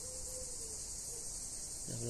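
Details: Cicadas in Greece under hot sun: a continuous, dense, high-pitched buzzing drone that never breaks, steady as a hiss across the whole stretch, with a man's low voice starting right at the end.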